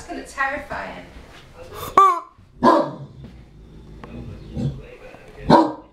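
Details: Great Dane, the biggest in Wales, easily scared by unusual things, barks at a rubber chicken: three loud, deep single barks spaced irregularly over a few seconds, with a person talking at the start.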